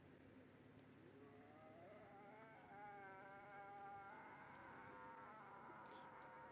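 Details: Sunrise, 23 August: Nkhuma cubs meet their returning mother and complain loudly, one denied a place to suckle. A drawn-out, rising wailing mew swells and holds level, then shifts slightly higher, with faint insect buzz behind.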